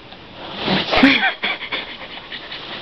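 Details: A female Lhasa Apso puppy gives a brief, breathy whimper with a thin tonal edge amid soft human voices at bedtime, as she does every night.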